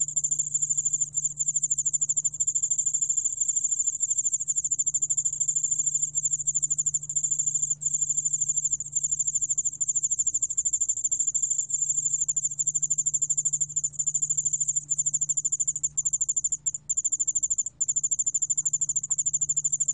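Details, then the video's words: Yeoul-allak-bangul cricket from a 2020 National Institute of Biological Resources recording in Korea: continuous very high, thin metallic trill of rapid pulses, steady throughout with only brief breaks, over a faint low hum. "여울알락방울벌레, 여러번 듣기, 곤충소리"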